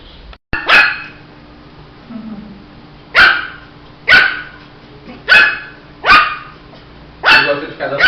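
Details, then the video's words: Shih Tzu puppy barking at a slow pace, single piercing yaps roughly every second, with brief quiet between them. "Som de latidos de filhote de Shih tzu"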